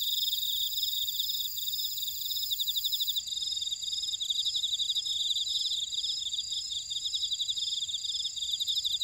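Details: Ora-dong buckwheat field insects, Jeju, South Korea, sounding a nonstop shrill chorus: quick repeated pulsed trills mid-high, steady ringing tones overhead, and a top band that shifts after about three seconds.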